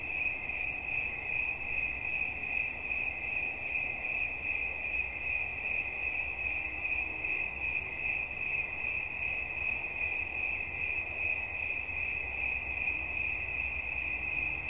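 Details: A cricket sings without pause, a bright high-pitched pulsing trill holding one steady pitch, with a thin higher overtone and a quiet, even background.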